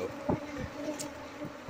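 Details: Wild honey bees nesting in a wall cavity, a large jumbo comb among two nests, buzzing as a steady even drone with layered overtones, broken by a few dull thumps and clicks.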